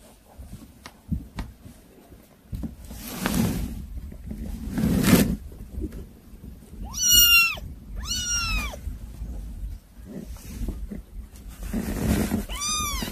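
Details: Kittens that are hard to control give a few short, arched mews, two close together and one later. They are heard between stretches of rustling, bumping and low room noise.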